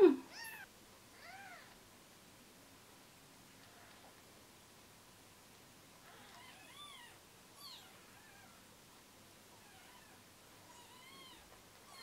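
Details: Newborn rescue kittens, Gipsy and Cream, on their third day of care, losing weight and hand-fed formula every two hours indoors: thin, high arched mews with rising-falling harmonics, a cluster early, then scattered cries at intervals over a quiet background.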